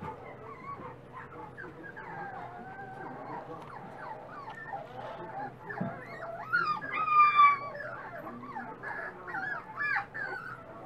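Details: Dachshund puppies, eating more every day, whimper and squeal in a busy chorus of thin, wavering high-pitched whines, some sliding up and down, with a louder burst of overlapping squeaks in the second half.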